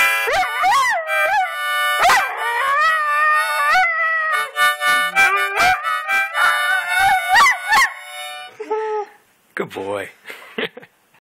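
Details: Dog howling to a harmonica, quick wavering howls blending with rapid harmonica notes for about eight seconds, then the music stops and a few short whimpering howls follow.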